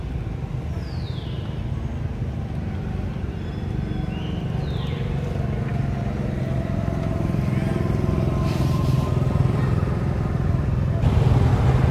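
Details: Outdoor engine and traffic rumble fills the recording, with a couple of brief falling squeaks and faint distant voices, and no clear animal call.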